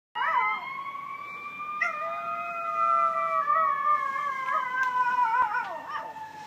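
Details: Female toy poodle howling along with a passing siren, which she does whenever she hears a fire truck: one long, steady, wavering howl held for about six seconds, rich in overtones, with a person urging her on.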